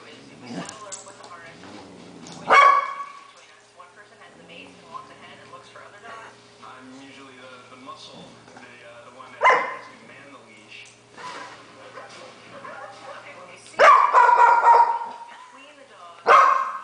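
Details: A female pet dog barks at a dog-training show on the television, as she does each time it plays; loud barks come a few seconds apart, some drawn out, over television voices and a constant low hum.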